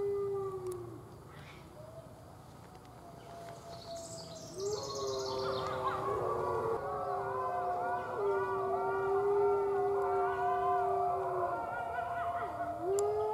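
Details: A six-week-old red wolf pup at the Wolf Conservation Center howls just outside the den: long, steady, tonal howls, several overlapping in layers, some gliding up or down at their ends, with faint squeaks early on.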